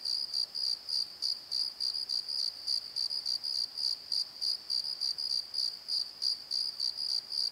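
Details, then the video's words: Nighttime cricket calling in a Pozo valley bottom, a bright high chirp repeated rhythmically around three times a second without pause, a faint overtone riding above, nothing else prominent. "Crickets and Croaks! Pozo Night Tree"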